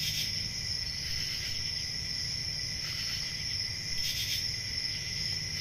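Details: Forest crickets on a summer night give a continuous high thin trill, with a few louder raspy swells, the strongest near the end, over a gentle deep background rumble.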